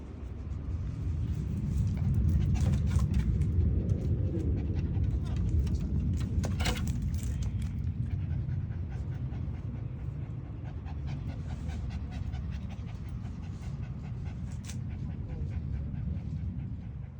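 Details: A dog resting outdoors after a walk on a fine spring day pants fast and steadily, about four breaths a second, throughout. A few brief clicks can be heard.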